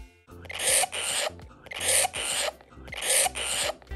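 Three rasping, broadband screams from a hamster come in quick succession, each a harsh burst of less than a second. Such loud screaming signals fear, pain or a serious threat, and also comes with fighting or stress.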